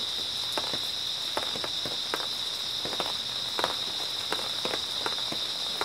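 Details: Early autumn night chorus of grass insects: a continuous, piercing high buzz-trill held at an even level, overlaid by a person's footsteps crunching along roughly every half second.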